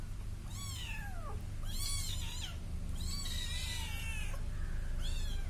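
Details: Cute little kitten following a person, mewing loudly and repeatedly, long bright cries that rise then drop, four calls within a few seconds, over a constant low hum.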